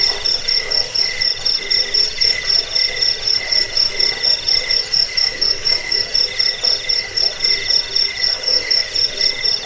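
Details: Cricket chirping used to repel rats and as a training recording for songbirds: rapid, steady high-pitched pulses, roughly four per second, with a bright ringing tone over a fainter lower band and a soft hiss behind.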